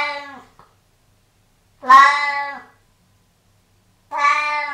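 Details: Domestic cat indoors by a bathroom, a cat that likes licking water left on the bathroom floor, giving three clear harmonic meows, each under a second, the middle one loudest and slightly rising then falling, separated by quiet pauses.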